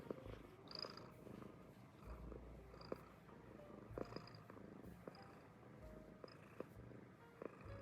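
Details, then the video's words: Purring American Shorthair cat, a low rumbling drone rising and falling in slow breaths, partly overlaid by gentle background music with sustained tonal notes and occasional soft taps. "The sound of a cat rumbling"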